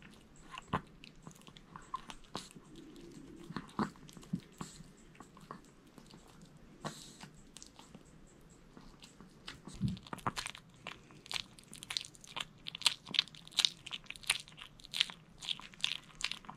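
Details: Chewing by Jamong, a male Maltese, on a whole sweet potato in a small room: bright clicky bites and crunches, sparse at first, then coming faster and denser toward the end.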